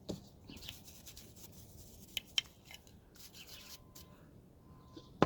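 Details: Scraping and cutting noises with a few sharp clicks in a small room, and no animal voice at all.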